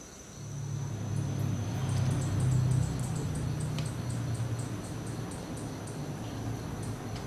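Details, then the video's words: Bullfrog (katak lembu) from Toraja, known locally as todan: a low, steady droning hum that swells and holds for about five seconds, with faint high ticking insect-like clicks above and background noise. "TODAN, Katak Lembu Toraja"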